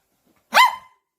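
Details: A puppy gives a single short, sharp yip-like bark that rises then falls quickly, bright with strong upper tones, with quiet around it.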